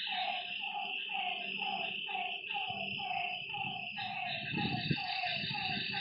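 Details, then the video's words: Night frog calls at a lakeside: repeated mid-pitched notes with a downward slur, about two each second, over a high steady insect drone. A faint low hum and a brief rumble near the end sit underneath. "Lakeside night creatures and frog sounds"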